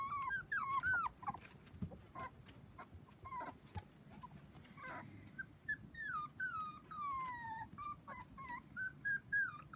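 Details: Four-week-old Dachshund puppies, seven in the litter, playing with children on a trampoline; high, squeaky whimpers and whines, some sliding downward, come in quick irregular bursts over scuffling and rustling.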